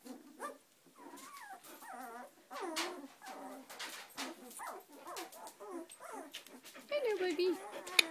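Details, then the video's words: Several 18-day-old Samoyed puppies starting to walk, overlapping squeaky whines and squeals, wavering up and down almost without pause, with soft scuffling and a sharper cry near the end. "18 days old Samoyed puppies"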